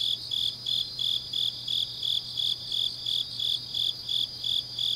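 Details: Autumn grass insects calling late at night in Changnyeong, Korea: rhythmic shrill chirps near three per second, with a dense background trill of more insects and a soft low hum beneath.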